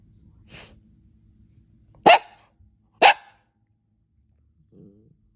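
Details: Pet dog giving two short, sharp barks about a second apart, preceded by a soft breathy sound and followed by a faint low whine.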